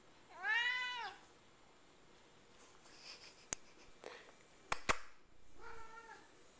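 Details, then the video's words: Sammy, a pet cat, meows after singing: one strong arched meow, then scattered clicks and knocks, then a softer, shorter meow near the end, indoors. "Sammy Meowing After I Sing"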